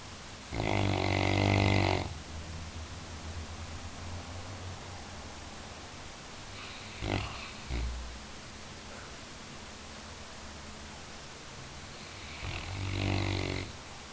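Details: Labrador Retriever snoring: a loud, rasping breath-snore of about one and a half seconds, a fainter brief snort midway, then another snore near the end, with quiet steady breathing between.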